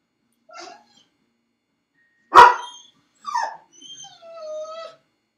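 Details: Home alone in a dog crate, Felix barks once, sharp and loud, then follows with a yelping whimper and a drawn-out, slightly falling whine, with a soft squeak before the bark.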